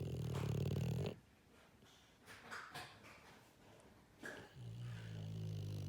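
An English Bulldog snores with deep, rattling, low rumbles broken by quieter breaths.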